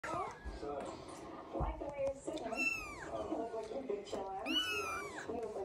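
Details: Three-week-old Scottish Fold kittens from a litter of seven, indoors: two loud, high, arching mews rise and fall around the middle and end, with softer lower mewing and human voices murmuring throughout.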